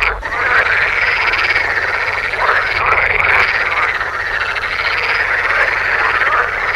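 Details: Male edible frogs in sun-warmed ponds in the Oldenburg area, northwest Lower Saxony, from about early May, chorus with loud, rattling, quacking croaks amplified by paired vocal sacs in courtship concerts that run together without pause. Edible frog.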